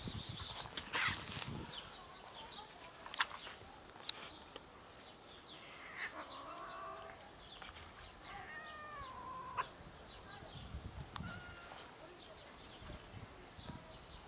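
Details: Outdoor hungry cats meowing from hunger: faint, wavering meows that rise and fall in the middle of the recording, over steady background noise, with clicks and a few sharp knocks.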